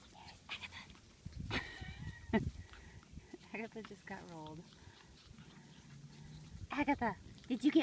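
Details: Seven-week-old Shih Tzu puppies playing outside on a cooler evening, eight of them: short high yelps and whiny squeals with wavering pitch, scattered in bursts, mixed with French speech.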